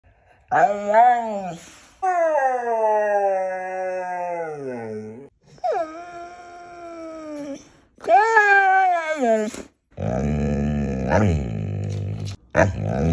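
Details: Siberian Husky chatting sassily indoors: a series of long, wavering howl-like vocalisations with rich harmonics, rising and falling, then a rougher, noisier grumble near the end; brief human voice at the close.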